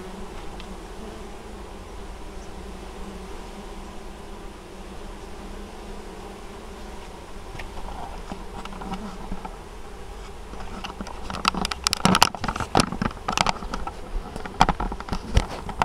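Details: Honey bees collecting honeydew at an apiary in Moszczanka, Opole Voivodeship, Poland, 19 August 2013; a low, steady colony hum, then from about eleven seconds a run of sharp knocks and rattles over the buzzing.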